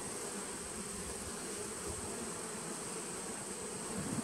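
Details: Short stretch of steady low hive hum from honey bees in a nuc, recorded 19 September 2018, with a slight rise in loudness at the very end.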